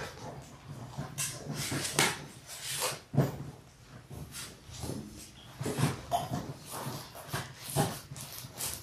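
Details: Six Labrador Retriever puppies aged six weeks, born January 18, 2022, in an indoor pen; repeated soft whines and whimpers throughout over a steady low hum and rustling.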